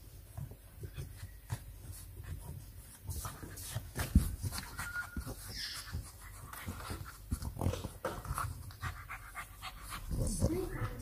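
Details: English Bulldog puppies, FCI-registered and kept as house pets in Nairobi, Kenya, playing over a hidden bone; quick rhythmic breathy pants with scuffling and bumping sounds throughout.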